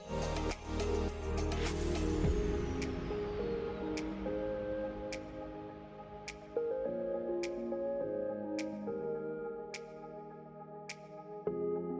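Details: Calm ambient music with soft sustained tones and light dripping chimes; no animal voice is heard.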